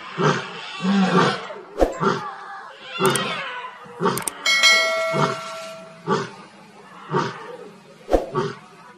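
A lion gives a series of deep, rough roaring grunts, about one each second, with sharp clanging sounds.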